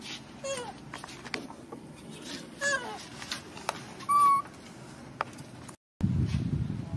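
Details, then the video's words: Baby macaque abandoned by its mother, crying: short wailing calls that slide downward at the start and again mid-clip, then one loud, steady, rich cry held for under half a second, over a constant low rumble, with a brief silent gap near the end. "Poor baby monkey was abandoned by mother monkey, crying heartbreakingly"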